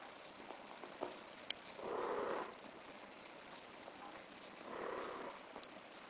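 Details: British Shorthair cat in heat calling, two drawn-out, hoarse mid-pitched wails about three seconds apart, each lasting under a second, with faint clicks and light room noise between them.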